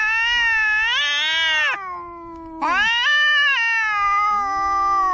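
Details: Household pet cats quarrelling in a face-off: a long, wavering, high-pitched yowl lasting nearly two seconds, a brief lull, then a second drawn-out wail to the end, with a lower moaning voice underneath.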